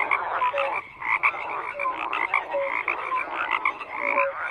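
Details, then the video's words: Frogs croaking together in a dense chorus: overlapping rattling croaks around one to two kilohertz-like mid pitch, with short clear whistled notes recurring throughout, steady continuous texture without pauses. "FROGS CROAKING"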